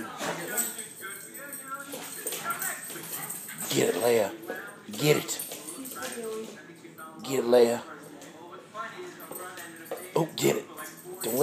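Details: Two pet Weimaraners, Hilde and Leia, playing together while learning to share; tonal whines and yelps break out in short bursts around the fourth, fifth, seventh and eleventh seconds, over steady Spanish conversation between people nearby.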